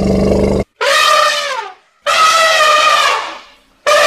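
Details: Powerful elephant calls: a low buzzy tail, then two loud brassy trumpet blasts of about a second each with rich stacked overtones, the second longer and fading, and a third starting at the end.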